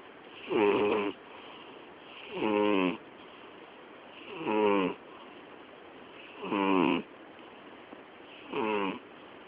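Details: Loud snoring from Miyabi, a sleeping female cat turning 12 on October 20; regular gravelly snores with bright rattling overtones recur about every two seconds, five in a row, over a soft background hiss.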